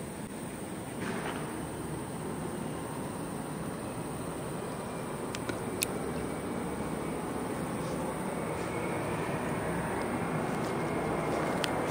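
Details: A steady broadband rumble like passing traffic or a train fills the whole stretch, with a few faint ticks and no animal voice.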